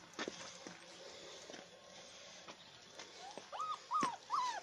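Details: Alaskan Malamute puppies whine in brief, rising-then-falling whimpers, three or four in quick succession near the end. Before them come only soft knocks, rustles and room noise.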